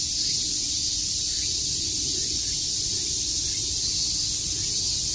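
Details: In Tokyo's Shakujii Park on a summer day, many cicadas chirp together as one steady, piercing high hiss that never breaks over the few seconds.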